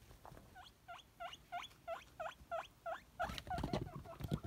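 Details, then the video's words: Excited squealing from Nimbus, a male pet guinea pig hoping for celery. Steady hooked rising wheeks come roughly three per second and end in a burst of loud crunching. "Cute Guinea Pig Excitedly Wheeking for Crunchy Celery!"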